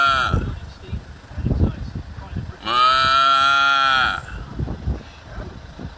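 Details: A cow on a farm answers a man calling to the herd, giving one long, steady, harmonic moo lasting about one and a half seconds, between stretches of his speech and low rumbling background noise.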